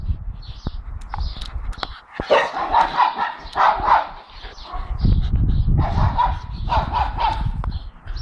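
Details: Two dogs, Dexter the four-month-old blue Staffordshire Bull Terrier and Milly, bark at the neighbours' dogs in a fast, overlapping volley of short barks, about four per second, with a low rumbling background in the second half.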